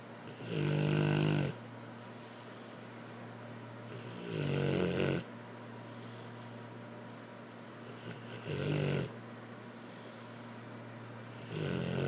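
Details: A dog named Blue snoring indoors: slow, raspy breaths in low-pitched bursts about four seconds apart, each lasting around a second, with quiet pauses between them.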